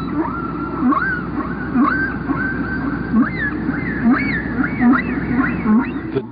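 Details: A humpback whale (Megaptera novaeangliae) sings a repeating series of short rising swoops, low and high, over a steady hiss; its song patterns last about 15 minutes before repeating.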